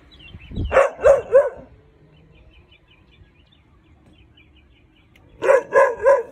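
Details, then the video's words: Baloo, a Weimaraner puppy not yet five months old, barks at a perceived intruder while on alert: two bursts of three sharp barks, one at the start and one at the end, separated by near-silence with faint bird chirps. "Weimaraner PUPPY barking at INTRUDER!"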